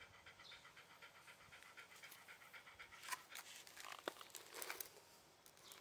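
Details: Shiba Inu dog panting indoors, rapid rhythmic breathy huffs repeating through the clip, with a few sharper clicks and rustles near the middle and end.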